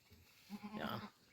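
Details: Goat bleating while the goats are given fodder before being let out, restless to go outside; one short, tremulous bleat of about half a second with a wavering, pulsed quality over quiet background noise.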